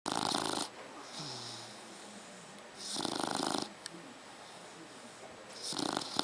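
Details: A three-month-old Dogue de Bordeaux puppy snoring: broad, breathy rasping bursts roughly every two to three seconds, separated by quieter hissing breaths.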